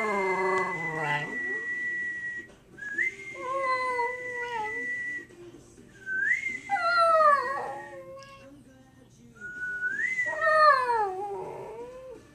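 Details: Shetland Sheepdog howling in response to a person's whistling: a steady high human whistle alternates with the dog's wavering, falling harmonic howls, three drawn-out bouts each about a second long, spaced several seconds apart.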